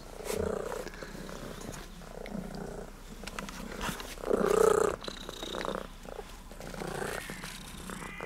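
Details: Sardinian cat named Tutti Frutti, noted for its patterned coat and friendliness toward visitors, filmed with a Sony FDR-AX33 camcorder; soft rhythmic purring rises and falls in bursts, swelling loudest midway, with some rustling.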